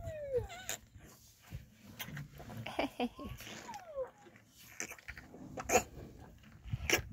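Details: Rhino calf moaning on a Monday morning while standing behind a person holding a milk bucket: thin, whistle-like whines gliding downward, a few drawn-out falling moans over several seconds, mixed with clattering, handling noises and rustling.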